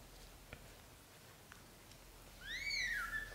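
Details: British Shorthair cats, a mother carrying her newborn kittens indoors into a small nest; one high, thin mew that rises and then falls, lasting under a second near the end after a quiet stretch with faint clicks.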